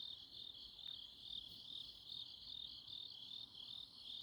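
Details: Grass insects calling through a Chuncheon autumn night, Korea, a shrill continuous trill with softer, less regular pulsing at a little over two beats per second, plus one faint brief click.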